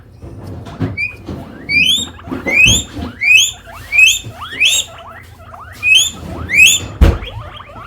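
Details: Hungry guinea pig wheeking repeatedly: loud, high, rising squeals that sweep upward, about eight in eight seconds, mixed with short chirping notes and a few thuds and clatters of handling.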